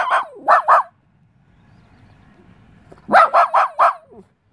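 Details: West Highland White Terrier confronting a mantis barks in quick yappy bursts: three sharp barks, a silent pause of about two seconds, then four rapid barks ending in a soft whine.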